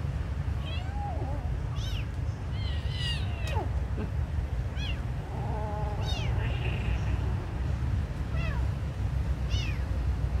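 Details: Kitten meowing while being given food: a run of short, high, arched mews repeating every second or two, some rising then falling, over a steady low rumble of background noise.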